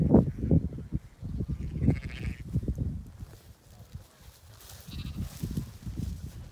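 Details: Rare, genetically mixed Cladoir sheep from a small ancient Irish flock, coming down off the mountain in Connemara, Ireland. Short wavering bleats mix with a person calling and coaxing the flock, plus low rustling and footfall noise throughout.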